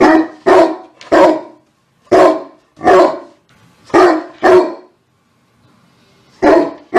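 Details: A dog barks sharply about eight times in quick pairs and short runs with brief silent gaps, followed by a faint whimper and two final barks.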